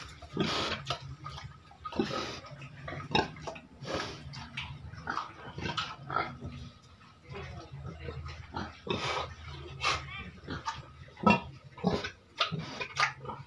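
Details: Caged pigs, raised and fed to earn money for a family, giving short broadband grunts and snorts at irregular intervals over a steady low hum.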